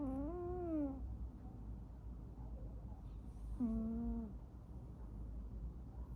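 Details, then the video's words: Snoring pet cat indoors, making two sagging, tonal breath-moans about three and a half seconds apart against a constant low background hum. "my cat snoring"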